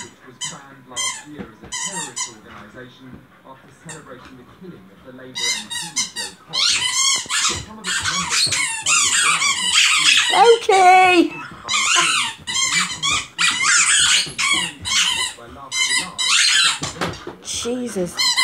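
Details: Samoyed indoors driving its owners nuts with high, squeaky, wavering whines and warbling yowls in rapid bursts, one long warbling howl mid-way, with people talking and laughing throughout.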